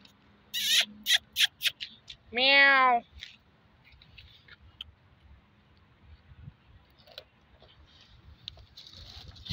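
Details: Street cat in Saudi Arabia, one of several looking up at a person and asking for food: a single drawn-out, harmonic-rich meow lasting under a second, preceded by a burst of sharp clicks and taps, followed by a quiet background with faint rustling.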